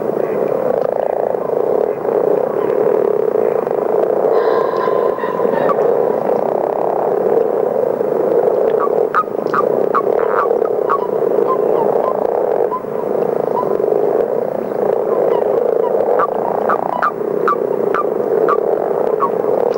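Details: Many common frogs snoring together in a continuous low, rumbling chorus, compared to distant machinery or motocross; short high clicking notes break through in clusters near the middle and end, over the steady drone.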